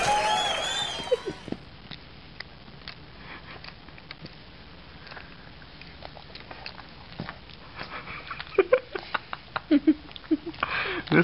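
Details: Cecelia, a female Boston Terrier, asleep indoors and making an odd clock-like ticking noise: after a brief opening voice, faint sharp clicks sound irregularly, growing louder and closer together near the end.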